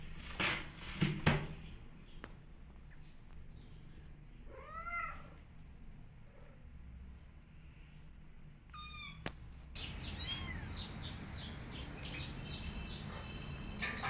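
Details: Mother cat calling her kittens to run back to her: one arched meow near the middle, a second brief call, then a rustling stretch with several thinner, higher mews and scattered clicks.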